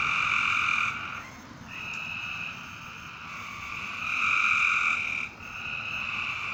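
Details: Frogs calling after dark: long, buzzy, ringing trills that overlap and swell, with brief gaps between callers and a soft background hiss.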